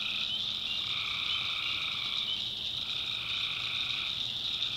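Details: Tree frogs calling at night in a swamp in the North Carolina backwoods: a dense, steady high-pitched trilling chorus, with a lower pulsing layer that fades out midway and then returns.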